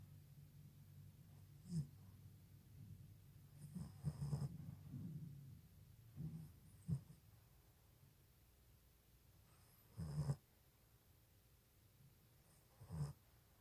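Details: A Boston Terrier puppy sleeping with its eyes open snores in low, rumbling breaths that come in irregular bursts.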